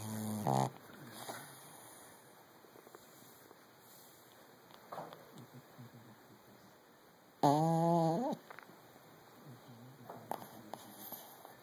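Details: A sleeping Brussels Griffon dog in REM sleep gives two short, loud, buzzy snores about seven seconds apart. Faint snuffling breaths fill the quiet gaps over a constant electrical hum.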